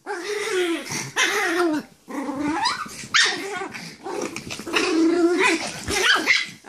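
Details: Playtime growling from a Pomeranian wrestling with another dog: rough, continuous snarling growls broken by high yips and scuffling noises, with little pause between outbursts.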